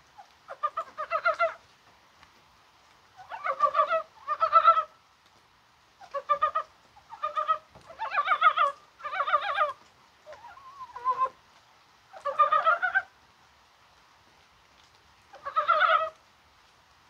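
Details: On a rainy, spring-like 21 January, mountain frogs croak, perhaps while spawning. About ten rattling, pulsed croaks arrive singly or in pairs at irregular intervals, each under a second, with stillness between.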